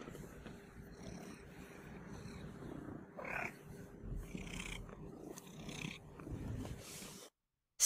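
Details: An excited domestic cat in its owner's lap, wanting to cuddle, purrs steadily and breaks in with short squeaky meows (purr-meowing) to ask for attention and affection.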